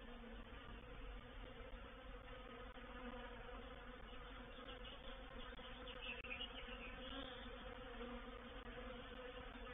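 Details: Reproductive swarm of honey bees moving into a bait hive, or swarm trap, recorded 04/07/21: a dense, steady humming drone with a low tonal band and its overtones, many bees buzzing at once without pause, a faint higher whine near the end.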